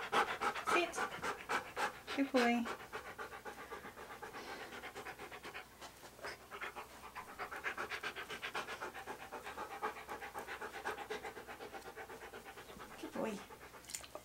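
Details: Rhythmic dog panting from Key, a Siberian Husky posing for photographs in hats and outfits; fast breathy pulses, about four per second, run continuously beneath a few loud bursts of human speech early and late.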